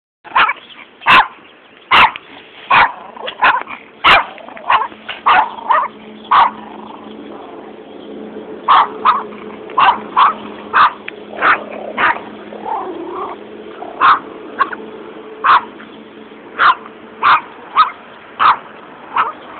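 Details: Two small Yorkshire Terriers bark at a passer-by along a road on 28 March 2007, giving sharp, high-pitched barks in quick irregular bursts, with a steady hum behind.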